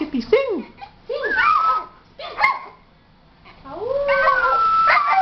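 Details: Singing Schipperke dog performing vocal renditions: wavering, bending howls and whines that rise and fall in curved sweeps, in short bursts with pauses, ending in a longer drawn-out howl alongside a steady sustained tone.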